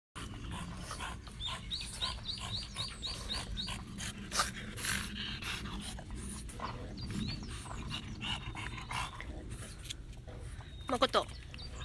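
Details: Makoto, a seven-year-old female French Bulldog offered for adoption by a breeder in Hamamatsu, Shizuoka, pants in quick rhythmic breaths, with a few sharper snuffles near the end.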